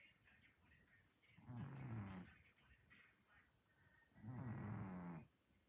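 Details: Sleeping orange domestic cat dreaming and snoring after an active day: two long, low, throaty snores with a buzzy rattle, separated by soft breaths and faint background noise.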